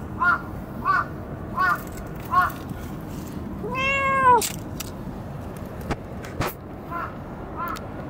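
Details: Cat at Dockyard Garden, recorded 17 June 2017 around 06:20. Short harmonic meows repeat roughly every 0.7 seconds, broken by one longer, arching, higher meow midway, then softer meows resume over a steady low urban rumble with sharp clicks.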